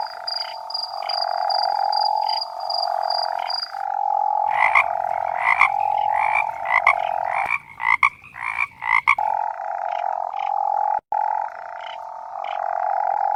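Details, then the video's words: Toads croaking: a continuous buzzing trill held for seconds, broken by bursts of shorter pulsed calls repeated in quick succession, then the steady trill resumes. "coaxar de sapo"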